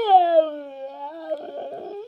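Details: Amadeus, a 5-year-old red male Siberian Husky, 'talks' with a long, tuneful howl-like whine starting high, sinking lower, then turning up with a rougher, grumbling edge, asking for food or sweeties.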